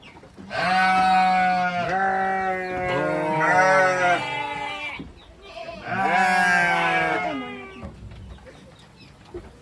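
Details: Goats at a goat farm, young kids among them, give long harmonic bleats, three drawn-out cries lasting one to two seconds each, with quieter background bleating between them.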